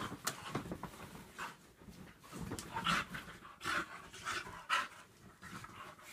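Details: A Staffordshire Bull Terrier cross and a whippet play-fighting indoors: rapid breathy pants and short rough growl bursts come in irregular clusters, with louder snorting gusts around the middle and end.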